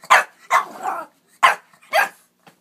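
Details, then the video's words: Bentley, a 4-month-old rescue Boston Terrier puppy, is being wild at bedtime while chasing his corkscrew tail. Four short, sharp yapping barks are spaced across a few seconds, with a person's soft voice just before. "Bentley the Boston puppy chasing his corkscrew tail"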